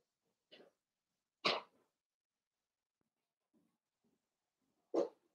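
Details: Playing with mama Paris, blenheim Cavalier King Charles Spaniel pups born at New Year's let out three sharp, explosive yaps spaced over five seconds, with faint soft grunts in the quiet between them.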